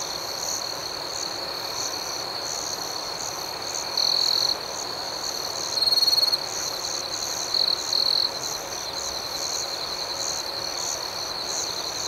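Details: Crickets at night in a calm outdoor setting: a steady, high, shimmering trill runs throughout, with louder pulsing bursts near four, six and eight seconds over a soft background hiss.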